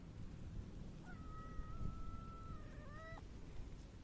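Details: Mackerel tabby cat, a pet rubbing against someone, utters one long drawn-out meow, steady in pitch and then bending upward at the end, over low background rumble.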